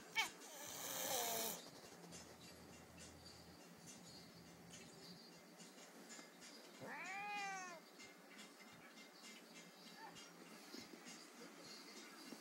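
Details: One-year-old Bengal cat Rani, unhappy with 12-week-old Bengal kitten Raj, gives a single short arching meow midway, following a burst of noise at the start; otherwise quiet room sounds.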